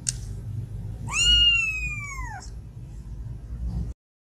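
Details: One long plaintive meow from a sick domestic cat wanting food or attention, held steady for over a second before drooping in pitch at the end, with a faint click and a low background hum.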